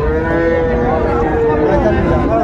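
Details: Bull calf of Friesian or cross breed at Raniganj livestock market, Dinajpur, 26 December 2024, giving a sustained flat moo of nearly two seconds, followed by a short higher call, with dense chatter of buyers and sellers throughout.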